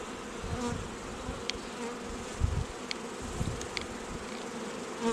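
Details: Honey bees at a queen-rearing apiary make a constant low hum, broken by soft thuds and occasional light ticks from work at the hives.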